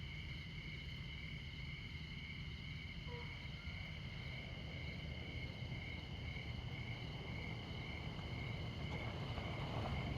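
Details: Crickets at midnight in Montana, in the far north of the continental USA, beside Interstate 94: steady, unbroken high trilling in several stacked pitches, over a constant low rumble of highway traffic.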